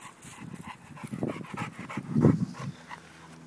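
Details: Bella, a 10-month-old female American Bulldog, breathes in heavy, rough panting and snuffling bursts, low and throaty, coming in quick irregular pulses that swell louder near the end.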